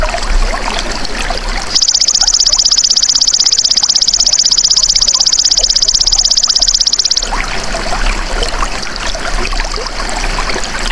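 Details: Golden grasshopper (belalang emas), offered as a masteran tutor sound for songbirds: a loud, high, rapidly pulsed buzzing trill starts abruptly after a short pause, holds steadily for about five seconds, then cuts off, over soft trickling, rustling background noise.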